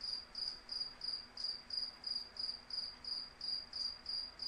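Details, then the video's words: Cricket chirping steadily in the wind, a bright high-pitched pulse repeated about three times per second in an even rhythm, with a faint low wind rumble underneath. "Wind With Cricket Sound | Cricket Sound Effects"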